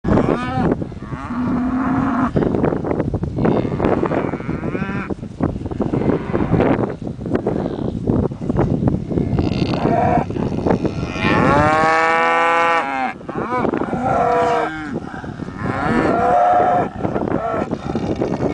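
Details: Several cows wanting attention, mooing in overlapping, drawn-out calls with rich harmonic tones, some rising and falling, one long loud moo near the middle, with busy background noise throughout.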